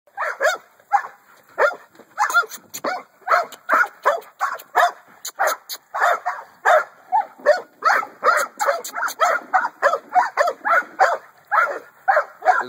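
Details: American Bully, a male offered for sale by a kennel, barking nonstop: hoarse, mid-pitched barks in a rapid run, roughly two each second, continuing for the whole stretch with little pause.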